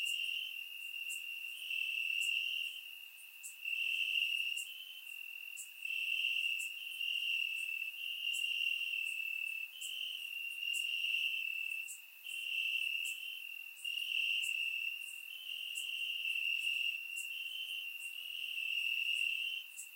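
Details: Night-time cricket chorus from grassland in Bulgaria on a warm summer evening, surround-recorded; shrill pulsing trills arrive in bursts of one to two seconds separated by brief lulls, steady throughout, with faint high clicks overhead.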